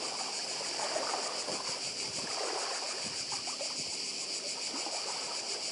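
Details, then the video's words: Cicada chorus on Badija, Croatia: a constant thin, pulsing buzz held at high pitch, with splashing and lapping of the nearby sea more noticeable below. "Cykady i szum morza w Chorwacji"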